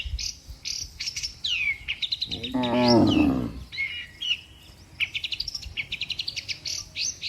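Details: Moo from cattle among dozens walking in a tidy line along a road, said to be calling the herd to return home. One long harmonic low moo mid-clip, surrounded by rapid repeated bird chirps and tweets.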